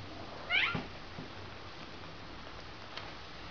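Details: Bengal cats Rudie and Rasta at play in their exercise wheel indoors; a single short meow with rising then falling pitch early on, followed by a quiet room with faint soft taps.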